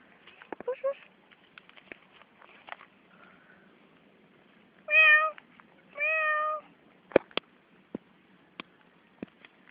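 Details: A cat at play gives two clear, steady meows about a second apart, each held for roughly half a second, with scattered clicks and tapping before and after and faint human voices early on.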